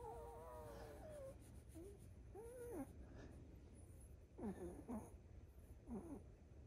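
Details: Chihuahua just after waking, making cute, baby-like nasal 'kupi kupi' sounds as it does every morning; a string of wavering, squeaky nasal whines, then a few short rising-and-falling squeals, over a quiet steady hum.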